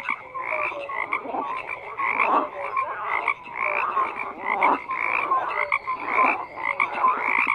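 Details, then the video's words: Numerous frogs call at once, producing a dense wall of harsh croaks and rattles, with short pure piping notes and swelling bursts every second or two. "FROGS CROAKING"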